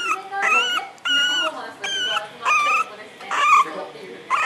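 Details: Puppy Chamé, female and 61 days old, pleading to be let out with loud, high, flat yelping whines in regular bursts roughly every second, while a television voice talks underneath.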